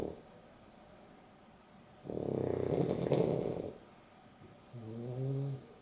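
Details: Dexter and Rio, a Boston Terrier and a Beagle mix, asleep during an afternoon nap: a long harsh rumbling snore lasting over a second, then a shorter nasal snore with stacked tonal bands in a quiet room.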